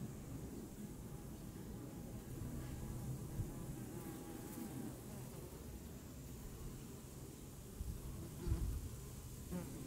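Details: Low, rough buzzing of honeybees, steady and mostly deep, with a short louder burst as an insect flies close near the end and faint outdoor ambience.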